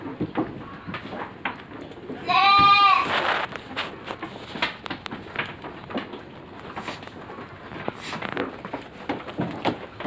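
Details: Farm goats soon to be harvested; a single strong quavering bleat just after two seconds, then shuffling, knocking and feeding noises in the pen.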